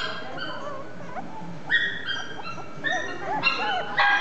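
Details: A male Chihuahua × Toy Poodle mix dog whimpers in thin, high whines and short squeaky yips, some notes rising and bending. The calls grow louder toward the end.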